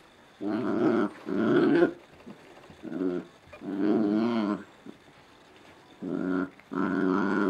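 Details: Scottish Terrier puppies playing indoors at 5 am on a Sunday, one of two: rough, rumbling play growls in long bursts of half a second to a second and a half, with short pauses between.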